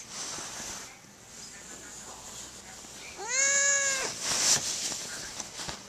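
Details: Emmy, a pet cat, trapped under a fitted sheet on a freshly made bed, calls out for help after several minutes: one drawn-out, slightly arched meow lasting about a second, rich in harmonics, followed by rustling fabric over steady background hiss.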